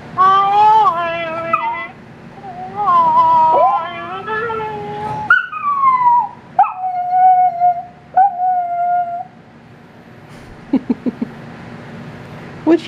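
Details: Female chihuahua-dachshund Riley, at home in Nashville, Tennessee, vocalizes to her owner over the phone while awaiting his return: two bouts of drawn-out warbling howls, then several clear falling whine notes, trailing into soft clicks.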